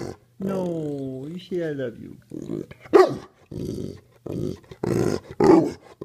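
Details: Pitbull Mastiff dog 'talking' indoors, prompted to say 'I love you': two long, wavering howl-like moans that slide downward, followed by shorter grumbling vocal bursts mixed with a person speaking.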